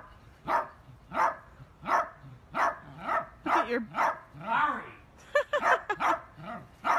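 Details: Miniature dachshund barking while playing, a run of short sharp barks roughly every half to one second, some with yelping, rising-falling tones, in a steady repeated pattern.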